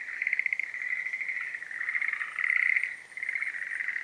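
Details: Breeding-season Schlegel's green tree frog calling in steady, rattling pulsed croaks that run almost without pause, swelling louder in the middle of the phrase and fading briefly near the end.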